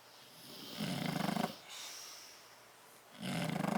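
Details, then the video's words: Bulldog snoring while asleep in a crate, Tyson or Tyra, recorded 30 October 2012; two rasping, buzzy snore breaths about two seconds apart, each a low rumbling drone with a fluttering texture, quiet indoor hush between them. "Tyson and Tyra Bulldog sleeping and snoring in crate"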